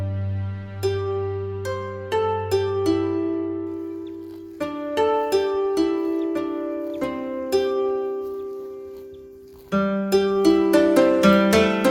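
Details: Plucked harp-like acoustic music with slow ringing notes and chords, and no animal sounds.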